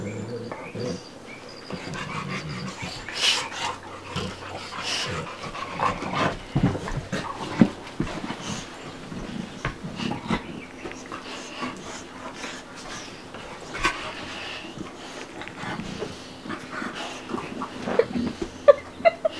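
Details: Bubba, a 2-year-old American Bulldog, and Ruby, a 5-month-old Dogue de Bordeaux, playing together indoors: irregular rough panting breaths mixed with scuffling, brief low growls and faint human speech in the background.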